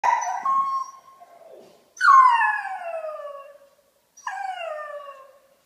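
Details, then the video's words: Pet dog singing, giving long howls that start high and slide slowly downward, three drawn-out wails with short silences between them. "Singing dog"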